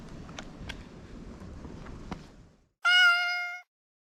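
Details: Domestic cat in Japan crying "nyaa nyaa" while being played with before bumping into the camera; after soft rustling and light taps, one loud, clear, slightly falling meow lasts under a second, then silence.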